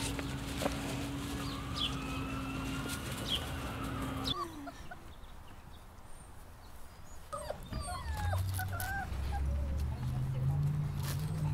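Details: Rottweiler puppies: a long, wavering whine stretches through the first four seconds over a steady low hum, then short, higher squeaks and yelps follow after a quiet gap.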